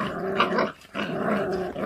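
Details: Feral dog puppy growling while eating, a low rough rumble broken by a short pause near the middle, with indoor room sound.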